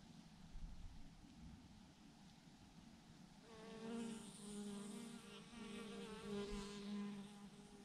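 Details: Thousands of bees hang in a massive clump on a branch; a faint low rumble opens, then a steady droning hum begins midway, layered with shimmering higher overtones and gentle swells in loudness.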